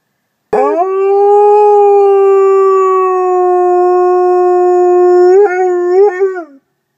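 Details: A wolfdog gives a single loud sustained howl. It begins abruptly and holds an even, smooth pitch for about five seconds, then wavers in a few quick breaks before dropping away.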